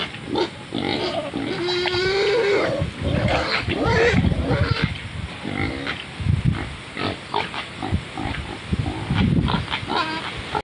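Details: Large wild pig in mud, urinating; a brief nasal squeal near the start, then a run of rough low grunts and snorts repeated irregularly amid wet splashing sounds.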